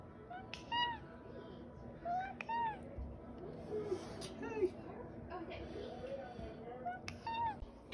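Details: Known for saying "okay", the OK Cat, a pet domestic cat, gives several clear, arched meows spaced a few seconds apart, each with stacked harmonics, among softer chirps, a woman's voice and light background music.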